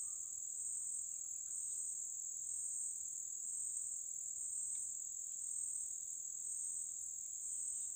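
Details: Cicada singing in the Amazon forest at Lago Amanã, Brazil: a continuous shrill, even buzz holding steady throughout, with a faint lower tone beneath and occasional tiny clicks.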